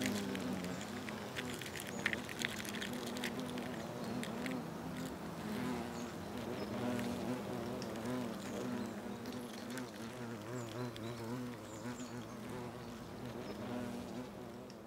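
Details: Colony of European hornets (Vespa crabro) performing trophallaxis at the nest, South Moravia, Czechia, August 2024; dense, wavering wingbeat buzz holding a low pitch throughout, overlaid with light ticking and rustling, fading slightly toward the end.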